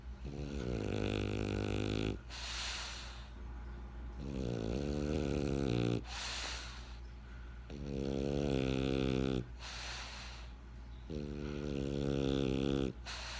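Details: French Bulldog named Benjamin snoring: rhythmic low rumbling inhalations with harmonic buzz, each lasting about two seconds, alternating with short breathy hissing exhales, four cycles in a row.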